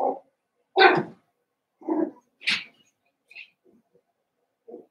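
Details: Seven-week-old Cavalier King Charles Spaniel puppies from Daisy's litter in an indoor home puppy pen: a scattered series of short whimpers and yips, mostly low and soft, with one brighter, higher squeak, separated by brief silences.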